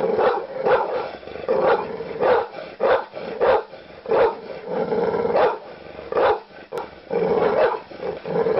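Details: Rapid, irregular barking from an angry dog, roughly a dozen rough barks over nearly nine seconds, some doubled, with short quiet gaps.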